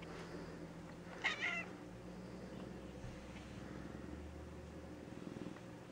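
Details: Gray tabby cat, female, recovering after polyp-removal surgery, indoors; a single short, faint meow rises briefly near the start, then only a steady low room hum continues.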